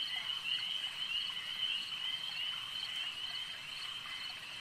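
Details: Frogs calling at a lake, a dense chorus of high, shrill trilling notes that overlap into a steady ringing drone, with quicker pulses repeating about twice a second on top.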